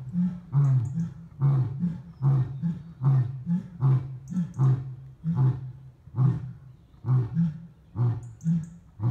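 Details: Deep, rhythmic grunting roars of lions at Dartmoor Wildlife Park in Devon, UK, a steady run of short low pulses about once per second, heavy and resonant, with no other clear sounds.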